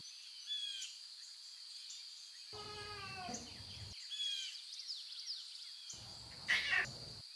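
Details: Lion cubs in the wild near their mothers give a drawn-out, wavering meow with rich harmonics lasting over a second, then a brief squeak, against a constant high insect hum and faint birdsong.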